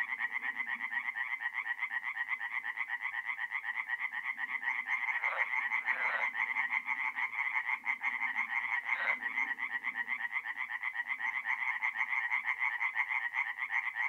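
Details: Night chorus from a north-east Italian forest pond in mid-April: singing tree frogs produce a relentless, evenly pulsed croaking rattle, many voices overlapping, broken by two brief louder splashes or knocks midway.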